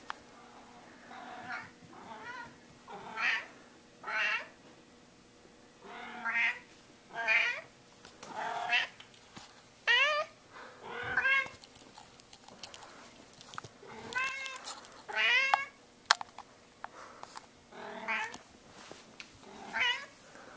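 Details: A fat domestic cat meowing to ask for food, giving a long run of short, harmonic meows roughly once or twice a second, each rising then falling, some sharper and more strained, with faint background noise between calls.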